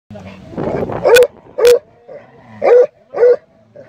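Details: A Plott Hound on a wild boar hunt gives deep, resonant barks in a loose series, roughly two per second.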